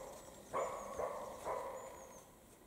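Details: European roe deer in the Carpathians during the mating period: three fainter, rough barks about half a second apart over steady background hiss, with a thin high bird whistle audible.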